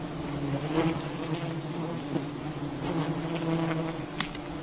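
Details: Wild honeybee colony at a honey-hunting site, a steady droning hum of many bees with clear harmonic bands, a few soft knocks and one sharp click near the end.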